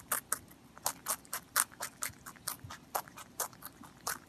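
A rabbit chewing, with crisp crunching bites repeated about twice a second.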